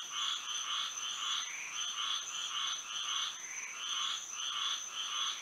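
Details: Moonlit Florida night with frogs singing: overlapping nasal croaks in uneven bursts, some running together, about two each second, and a faint steady whine high above.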